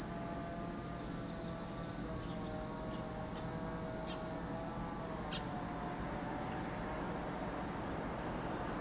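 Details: Cicadas at Lake Kamo in Sado City, Niigata Prefecture, Japan: an unbroken, shrill high-pitched drone holds steady throughout, with a few faint soft ticks midway and a low, wavering hum beneath.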